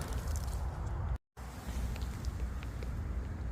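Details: Dense, wind-like rumbling noise, strongest at low pitch, with a brief moment of silence near the middle and no animal calls.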